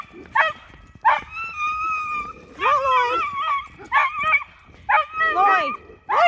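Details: Pet Miniature Schnauzer screaming in loud bursts about once a second, each a sharp yelp drawn out into a high, wavering, harmonic whine held for up to a second, with quieter pauses between.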